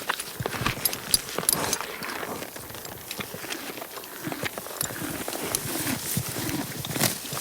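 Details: A horse eating, with steady crunching and grinding bites repeated in quick succession.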